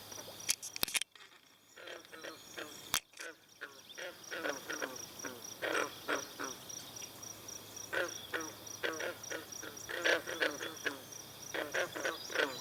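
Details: Chorus of green frogs at a Brillion Nature Center pond with swallows drinking. Sharp knocks open the recording. Then many brief, harmonic croaks come in uneven bursts, with thin high twittering in the background.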